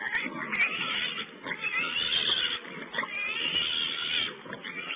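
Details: Wild boar piglets at a wild pig camera, 16 April 2010: near-continuous high shrill squealing in overlapping bursts of about a second, with low grunting and rustle underneath.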